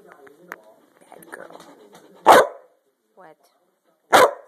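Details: Maggie, a female dog among playful dogs that spend the day playing, gives two sharp, loud barks about two seconds apart indoors, after softer whines, a brief whimper and a person scolding her with commands like get down and sit.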